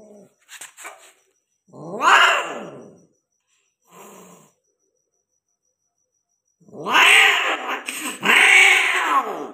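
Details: Persian cat mating with a peke male, indoors: loud drawn-out yowls that rise and fall in arching wails, one near the start and a longer double wail at the end, with faint short sounds between.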